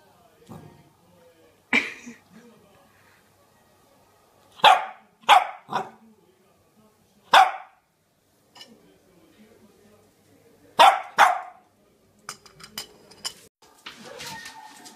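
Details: Charlie, a Cavalier King Charles Spaniel, gives about seven sharp, loud barks, some single and some in quick pairs, spread over several seconds with quiet gaps between, while a person speaks softly in the background.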